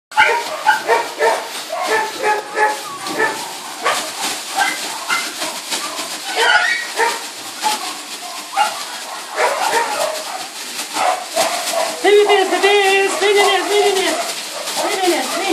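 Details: Litter of Border Collie puppies: many overlapping high whines and squeaky yelps in rapid irregular succession, with a few clearer wavering whimpers near the end, over a busy, noisy background.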